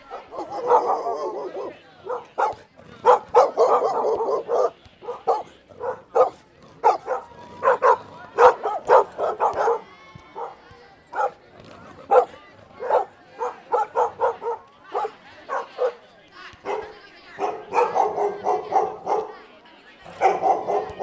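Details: Dogs and puppies barking in a dense, overlapping run of short, mid-pitched barks, some in quick bursts and others spaced, with brief pauses between volleys over about twenty seconds.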